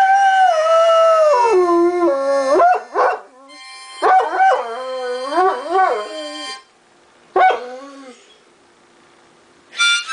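A Great Dane howls along with a harmonica, its long wavering notes sliding up and down.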